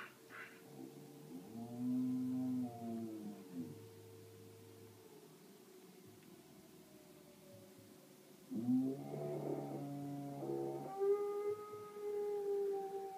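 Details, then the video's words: Astrid, a Samoyed, howling in response to a fire alarm: two bouts of wavering, harmonic-rich howls, first rising then falling, then a higher, drawn-out howl that climbs and holds. A steady tone runs beneath the opening seconds. "Samoyed Howling to Fire Alarm"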